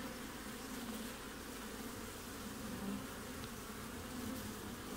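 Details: Honey bees at a hive entrance in the middle of the Australian winter, 20 June, active at the front of the hive: a steady low droning hum with fluctuating buzz bands, individual bees passing close now and then.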